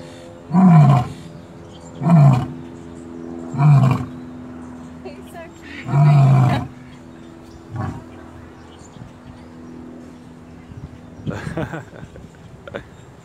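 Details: A lion at Gulf Shores Zoo gives a series of deep, booming grunts, each about a second long and spaced a couple of seconds apart.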